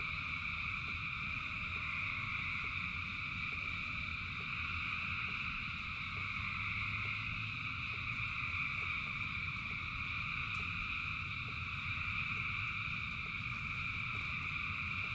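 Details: Thousands of frogs singing in rain: a dense, unbroken chorus of steady high trilling bands, with low rumbling patter from the rain beneath, holding level throughout.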